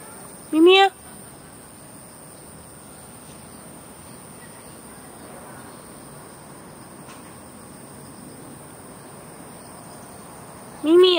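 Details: Two pet cats, Fengfeng and Huangxiaomi, walked in a garden in Beijing early in the morning, August 13, 2013. A short, bright meow opens the stretch and a second one closes it ten seconds later, with quiet outdoor background between.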